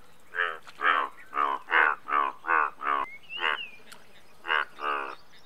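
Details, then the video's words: Indian bullfrog, the largest frog species in India, giving a run of loud, harmonic croaks repeated about every half second, each call a short pulsed bark, with faint bird chirps in the background. "Indian Bullfrog"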